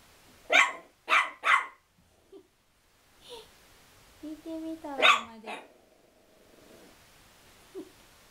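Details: Chihuahua angry at a towel, opening with three loud evenly spaced barks, followed by a brief wavering growl and two more barks, while a person speaks in the background.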